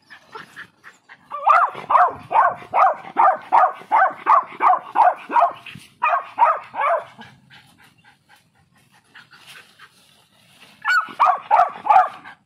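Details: Tovi, a beagle puppy, reacting to guinea pigs and rabbits seen for the first time: a fast run of sharp, regular barks about three per second, a pause, a second burst, quiet, then another volley near the end.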